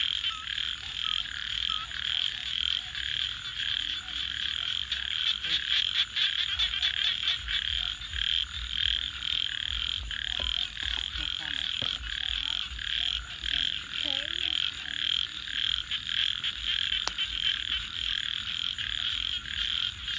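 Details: A nighttime frog chorus holds a dense, unbroken trill, with a burst of rapid clicking pulses early on, scattered lower croaks and a steady high whine throughout.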